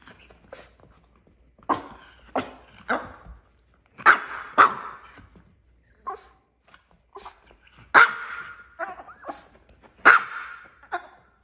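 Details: Tiny dog throwing a tantrum indoors: sharp yappy barks and yelps in short bursts, loud clusters near four, eight and ten seconds, with quieter whimpering grunts between them in a small room.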